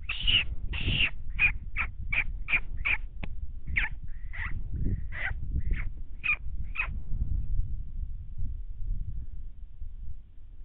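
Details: Coyotes, three groups howling in 2019 while one slipped along a fence line stalking deer: a quick run of short, sharp yipping calls, some bent and wavering, over a steady low rumble of wind.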